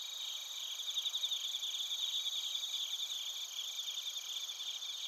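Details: Bell crickets and other crickets in Narita, Chiba, Japan, recorded on a TASCAM Portacapture X8: a dense, high, ringing chorus of steady tones with shimmering pulsed trills layered over one another, no other sounds.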